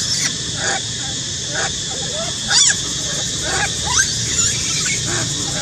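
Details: Spoiled baby monkey named Sweet Pea crying and screaming loudly: a series of short, sharply rising-and-falling squealing cries with bright harmonics, about one each second, over a steady hiss of background noise.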